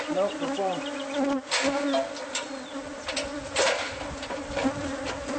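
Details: Hive of bees found inside the walls of a home, being removed: a loud, even buzz with a humming undertone, punctuated by several bangs and scraping noises from tools.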